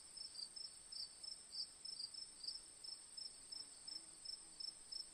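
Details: Crickets chirping, high-pitched short pulses repeated about three times a second in an uneven rhythm, over a constant shrill whine higher still and faint low background hiss.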